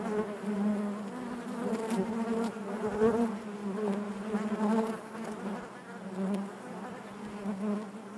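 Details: Crowded honey bee hive giving a continuous buzzing drone, the hum pulsing irregularly in strength as bees move about, overtones stacked above a low steady tone.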